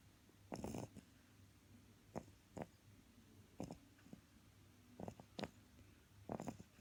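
An English Bulldog puppy snores with low rumbling breaths and rough, sputtering snorts.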